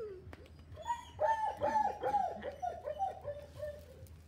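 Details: Male Miniature Pinscher puppy Filip Fleetwod Royal Dignity, from Kennel Royal Dignity in Ukraine, gives a quick run of thin, whiny yelps, each sliding downward, repeated about twice a second over a low hum.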